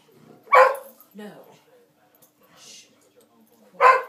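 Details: Two dogs playing indoors, with one sharp bark, a quiet gap with a soft whine and a person's low voice, then another loud bark at the end.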